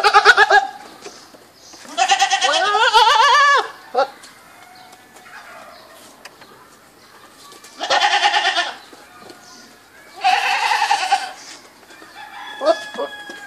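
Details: Goat (Capra hircus), bleat.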